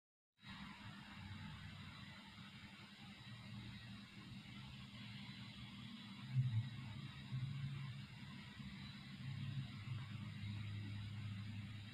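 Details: After a brief silence, a quiet low hum and soft background noise continue with a few faint knocks, and no animal voice can be made out.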